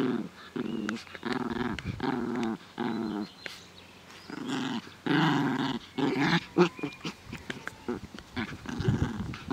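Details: Playful growling from Naja, a female dog, in a garden on a fine day, 17 May 2014: gravelly, low bursts about a second long, repeated with short gaps, with some scuffling between them.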